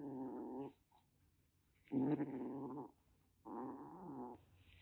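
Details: Threatening calico kitten, roughly one and a half months old, rescued in Kagoshima, Japan: three sustained, wavering growling moans with rich low harmonics, each about a second long, separated by short quiet gaps in a small room.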